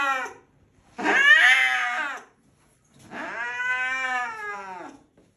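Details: A domestic cat, angry, gives two sustained, piercing yowls about two seconds apart, each a steady, rich-toned wail that holds level and fades at the end, with near silence between calls.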